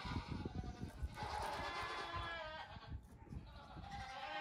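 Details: Young goat kids, the oldest almost two weeks old, at play on a farm in the morning; long quavering bleats overlap, with steady thudding and rustling from the animals moving about.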